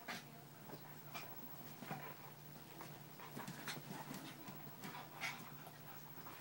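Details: Husky and a papillon-chihuahua mix playing together for the first time indoors: rapid, irregular panting and breathy snorts with faint whimpers, continuous throughout.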